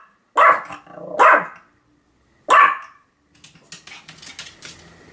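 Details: Sam the Pomeranian, filmed 7 October 2015, lets out three strong yapping barks, the first two close together, followed by a patter of light clicks or tapping.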